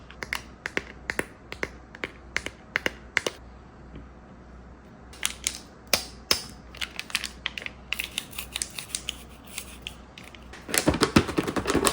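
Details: Sharp clicks and crunching taps of food being prepared in a small room, quick bursts in the first seconds, then scattered crackles and a denser rustling clatter at the end; no animal voice.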